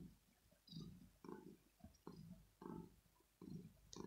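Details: Male kitten in the early morning, wanting to be cuddled and petted and perhaps fed. A low purr rises and falls in rhythmic bursts, about one every three-quarters of a second, close to the recorder, with faint clicks.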